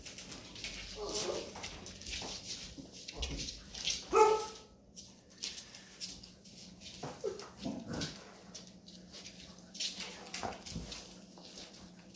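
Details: Labrador Retriever mother with her puppies, teaching them there is no milk; a single short, tonal bark-like yelp stands out midway, amid softer scattered whines, snuffles and rustling noises.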